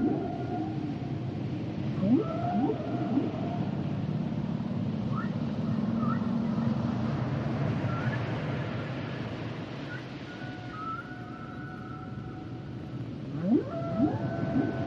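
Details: Humpback whale song: a low droning moan in the middle, scattered short upsweeps and faint high tonal lines, with strong rising whoops at start and finish over constant underwater hiss.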